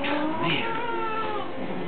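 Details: A long-haired, angry cat, handled indoors while fur mats are shaved off, lets out a sustained, wavering low yowl lasting nearly two seconds without a break.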